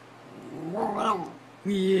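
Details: A 13-pound female Schipperke indoors "talking" when her owner asks her to say I love you: a drawn-out, wavering, rising-then-falling vocal moan, followed by a steady tonal note at the end.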